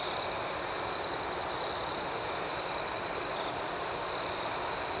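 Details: Crickets chirping at night: a steady, thin high-pitched trill runs underneath, with a higher pulsed chirping that rises and falls in short bursts about twice a second over a soft background hiss.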